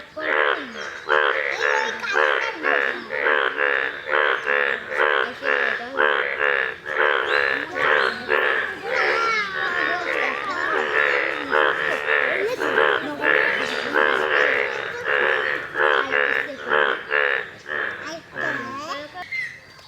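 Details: A pond chorus of yellow Indian bullfrogs: dense, rapid croaks, roughly two a second, overlapping into a continuous nasal, bleating din, with brief warbling notes mixed in.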